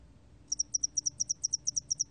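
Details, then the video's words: Spotted-wing hairy cricket song from a 2020 National Institute of Biological Resources recording: after a brief quiet start, high, thin chirps in closely spaced pairs repeat steadily over a faint low hum. "점날개털귀뚜라미, 여러번 듣기, 곤충소리"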